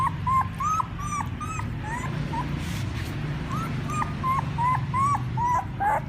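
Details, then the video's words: Puppy whimpering to call its mother: short, rising-then-falling squeaky cries repeated rapidly, about two or three per second, with a brief pause midway, over a constant low mechanical hum. "Sounds Puppies call their mother ||Puppy crying sound"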